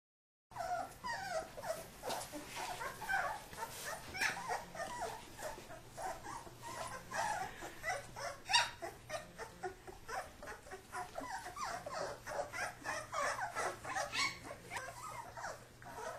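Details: Kuvasz puppies wrestling while their father supervises, a dense stream of small growls, yips and whimpers with scuffling noises, the playful vocal bursts coming rapidly throughout.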